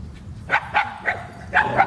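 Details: Black female Shiba Inu, the only barker in a pack of dogs romping in water at Groenendaal woods, gives five rapid, sharp yaps within two seconds, in two quick bursts, over low background rumble.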